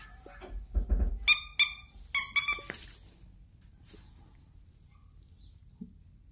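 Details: Havanese dog giving a quick series of about five high, shrill squealing yelps with clear harmonic overtones, clustered in two bursts over roughly a second and a half, followed by near quiet with a few soft clicks and a thud.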